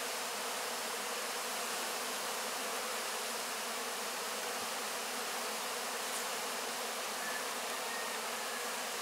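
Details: Many honey bees licking honey from wax cappings after the 2024 harvest, having already cleaned the supers; a continuous, broad, level buzz with no breaks, like steady rushing hiss.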